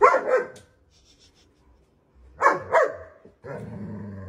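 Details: German Shepherd puppy barking in quick doubled bursts, two harsh yaps close together, a pause, then another pair, followed by a sustained tonal sound at the end.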